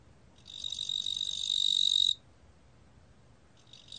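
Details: Ttungbo cricket, National Institute of Biological Resources recording from 2020, giving a high, dense buzzing trill for about a second and a half, then falling quiet before a fresh burst begins at the end.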